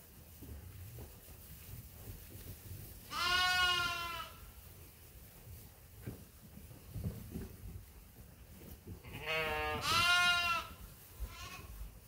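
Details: Feeding time for the sheep and lambs at Ewetopia Farms: two strong, tremulous bleats about six seconds apart over soft background rustling, the second slightly longer and more wavering.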